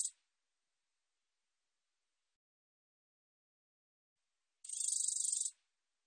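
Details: High, raspy katydid buzz, part of a 2020 recording by the National Institute of Biological Resources: the tail of one burst opens, then after a long silent gap a single full pulsed buzz of about one second.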